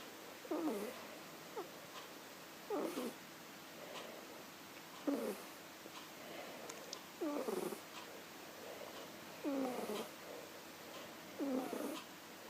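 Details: A kitten asleep, snoring loudly: rhythmic rasping breaths recurring about every two to three seconds, each a short noisy burst with a faint quieter exhale between, in a quiet indoor room.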